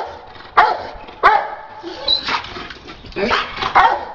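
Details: Dogs, including a Rottweiler and a Pitbull, during attack and bite training: a few loud sharp barks at about half-second, one-second and three-second marks amid busy background noise and faint voices.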